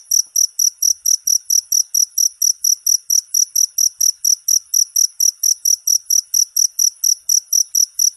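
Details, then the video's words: Cricket chirping, used as master sound for songbirds: a long, even train of sharp high-pitched pulses, roughly four per second, unbroken and steady, no other sounds present. "Suara masteran jangkrik untuk segala burung kicau"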